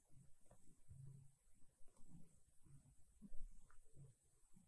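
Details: Siberia, a female silver tabby cat, kneads a soft blanket indoors while purring: a low rumble pulsing in short bursts about every half second to a second, over a faint steady high hiss.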